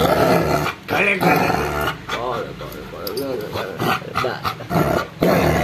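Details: Rottweiler attacking its owner indoors in a small room, giving rough growls and arching, wavering snarl-like cries in short bursts, mixed with a person talking and scuffling noises.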